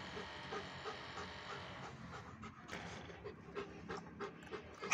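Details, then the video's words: German Shepherd crossbreed dog panting in quick, rhythmic breathy puffs about three per second, steady over a hissing background, with a louder burst at the very end. "Chó lai bégie đức l Becgie"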